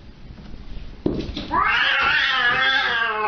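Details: Siamese cat letting out a loud, sustained yowl that rises and then holds steady, preceded by a short sharp knock and soft indoor background noise.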